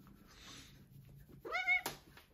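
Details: Female Maine Coon cat indoors in the morning, loudly demanding her breakfast: one short, strong, harmonic-rich meow near the end, preceded by quiet rustling and followed by a sharp click.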